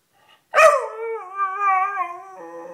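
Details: Sniffer, a pet Beagle, howls to say he wants to come up on the bed: a sharp yelp-like onset, then a long, steady, slightly wavering harmonic howl that drops lower near the end.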